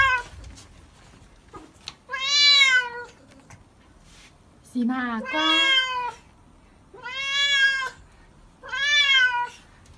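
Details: Cat protesting during a bath with four loud, plaintive meows about two seconds apart. Each meow is rich, falling slightly in pitch, and lasts about a second. Brief quiet speech comes between them.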